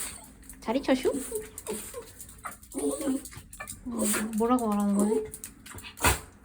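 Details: Pet dog welcoming someone in a small room; a brief, wavering whine rises and falls amid people's voices and a loud, noisy background.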